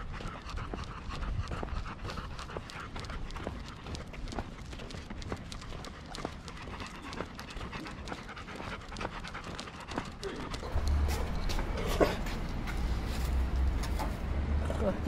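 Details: Golden Retriever breathing hard in rapid, rhythmic puffs, about four a second, while out under the cherry blossoms at Ain village, 27 March 2022. Rustling and handling noise grow louder near the end.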